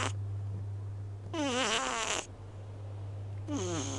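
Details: Loud snoring from a small pet cat asleep with eyes half open: two rough, breathy bursts, the first holding a wavering whistled note, the second sliding down in pitch, with a constant low hum underneath.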